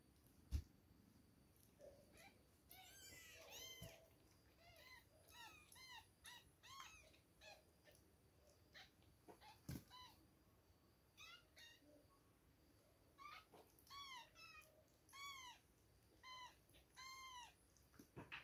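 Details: Two-week-old baby kittens at milk time, mewing in a busy run of high, arched, harmonic-rich cries that rise and fall, often in quick clusters of three or four, with short quiet gaps and a few thumps in a small room.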